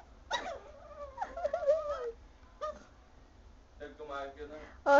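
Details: Indoors, a Chihuahua bothers a sleeping Pug, which does not like it: wavering, nasal whines and grumbling moans come in several short bursts, ending with a louder sharp whine.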